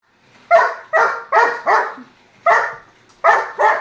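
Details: German Shepherd barking while chasing a slot car: sharp, rough barks in quick pairs and triplets, about seven across a few seconds, with short silent gaps.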